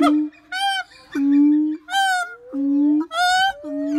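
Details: A siamang calls in alternating phrases: deep, sustained hooting tones are interrupted at regular intervals by brief, bright, harmonic-rich yelps. The pattern repeats three times, roughly every 1.5 seconds.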